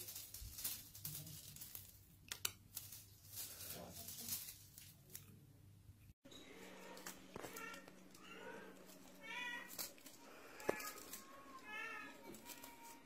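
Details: Russian Blue cat, a domestic pet indoors, giving short harmonic meows in the second half, with two clear wavering calls a few seconds apart, amid clicks, handling noises and a steady background hum before a sudden scene cut.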